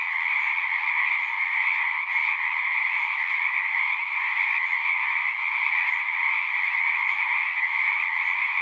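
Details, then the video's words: Singing frogs calling together outdoors, their massed croaks merging into a constant shimmering drone with a bright upper band over a softer lower one. Faint flickers of individual calls ripple through, with no pauses, voices or other animals. "One hour of singing frogs."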